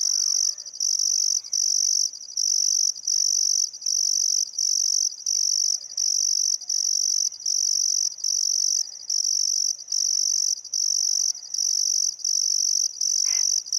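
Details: Australian crickets at sunset on a still summer afternoon by the Barcoo River, Welford National Park, Queensland outback; piercing high trill pulses repeating roughly every second, faint scattered bird notes beneath.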